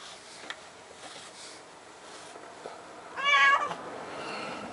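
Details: Active domestic cat in spring, being wiped with a cloth, gives one clear short meow midway after quiet rustling.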